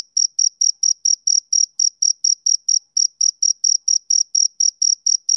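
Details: Male cricket chirping, as on summer evenings: clean, high rhythmic chirps repeated about four times a second in an even train, with no other sounds behind them.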